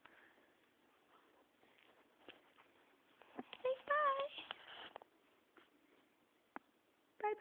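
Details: Domestic cat that just fell off its cat tree meows once, a wavering drawn-out cry near the middle, with a brief second call at the end; indoor room with quiet voices and handling noises.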